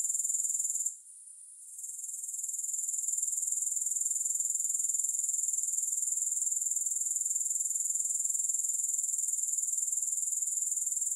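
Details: Continuous thin, high buzzing of grasshoppers, pulsed roughly four beats per second with no music, dips sharply near the one-second mark and gradually swells back to a constant insect chorus.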